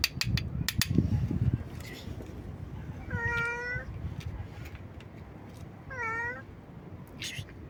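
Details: Stray cat meowing loudly and nonstop: two drawn-out, clear meows roughly three seconds apart, the second shorter and slightly falling, with some clicking and low rumble in the background.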